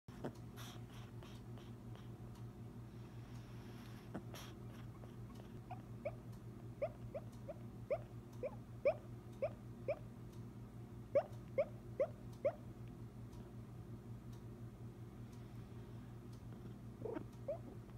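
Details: Female pug barking and yipping in her sleep while dreaming indoors: a run of soft, brief, high yips, single or in quick pairs and triplets, scattered across the recording and densest in the middle, over a steady low hum.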